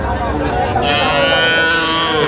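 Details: Sahiwal bull calves being bought by farmers in Gazipur, Bangladesh, 8 May 2025: a drawn-out, rich harmonic bellow rising in the second half, over busy outdoor chatter and human voices.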